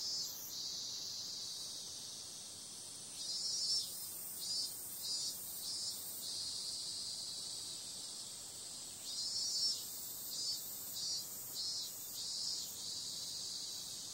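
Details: Cicadas on a summer night: a steady, shrill high-pitched buzzing drone with louder pulsed bursts, clustered in runs of several beats between about three and five seconds and again after nine seconds.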